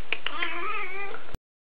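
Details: A talkative female Siamese cat giving a single long, drawn-out meow like a stretched hello, wavering slightly in pitch and holding steady for over a second before cutting off abruptly, with a few soft clicks at the start.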